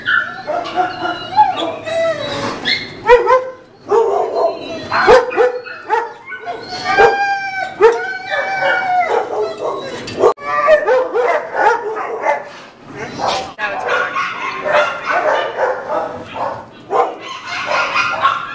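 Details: Female American Bulldog mix, freshly rescued from a Chicago animal control shelter and excited to get out, utters a dense run of high whining yelps, a howl-like cry and barks in repeated bursts, mixed with human voices.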